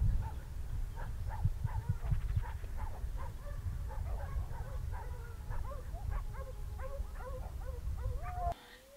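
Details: A pack of Briquet du pays hounds, called in to join an 8-year-old lead dog that found the lost hare trail again on a ploughed field, bays in overlapping, yelping cries.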